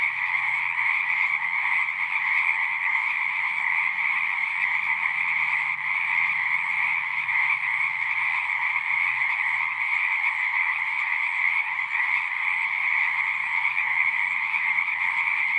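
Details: Many frogs singing together, an unbroken pulsing drone of overlapping calls holding a constant level, with a faint low rumble beneath the chorus.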